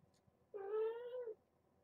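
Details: Kitten from a foster litter cared for via Purrfect Pals in Arlington, at an evening weigh-in: a single clear meow, steady and slightly wavering in pitch, held for nearly a second in a quiet room.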